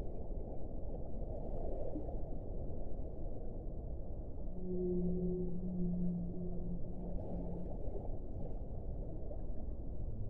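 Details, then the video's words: Whale song heard underwater: a low, steady moaning tone with a fainter higher overtone held for about three seconds mid-recording, set in a constant rushing, rumbling background of water noise. "1 ora di suono delle balene"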